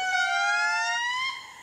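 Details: A female indri gives a loud, sustained wailing note that slides slowly upward. The call carries for miles and announces her group's claim to this part of the forest.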